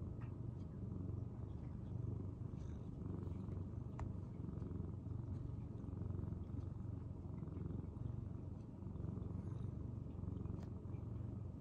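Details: Tokiji, a retiring rescued cat considered a senior by January 2023, purrs at home: a strong, unbroken low buzzing rumble with rapid even pulses and occasional faint ticks.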